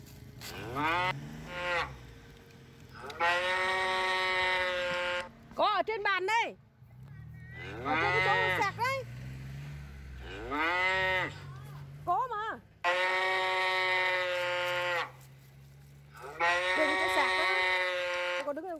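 Cattle mooing in long, drawn-out, nasal calls, one after another.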